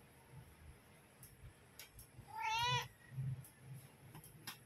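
A mother cat gives one clear, drawn-out meow, calling her kittens to come and feed.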